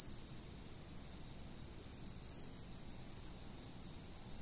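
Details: A shrill, unbroken insect trill from a fixed camera, with a quick chirp at the start and a tight run of three or four chirps near the middle, then one more at the close. Background is quiet.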